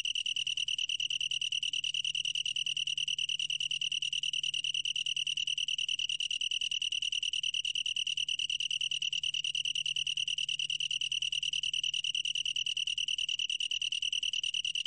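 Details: Unbroken pulsing trill of a long-tailed tree cricket, a bright high-pitched note held steadily for the whole stretch, finely beaded with rapid pulses, over a faint low background hum.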